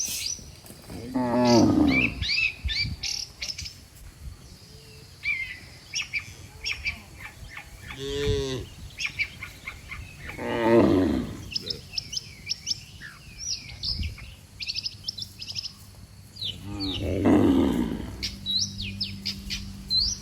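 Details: Dozens of cattle lined up along a road, mooing as if calling the herd to head home to the pen; four drawn-out, harmonic moos, one deep and clear near the middle, over constant chirping and twittering of small birds.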